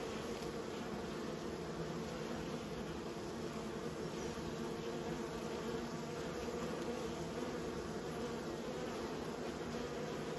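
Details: Steady droning hum of kept bees, unbroken and even, with strong low harmonic layers and a faint hiss above.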